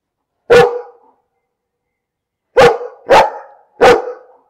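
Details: A dog gives one loud, ringing bark, falls silent for two seconds, then fires off three more in quick, evenly spaced succession; each bark is full and mid-pitched with a short echoing tail, in a quiet setting.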